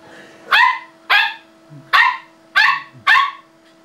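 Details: Lexie, a female Samoyed puppy playing the piano, lets out five very loud, high-pitched yaps in quick succession, each short and sharp, spaced about half a second apart over a low constant hum.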